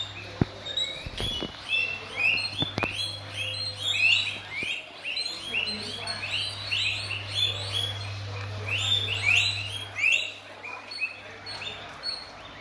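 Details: Several guinea pigs at guava feeding time squeak in a busy, overlapping chorus of short high whistled notes, with a few sharp clicks and knocks near the start and a low steady hum underneath.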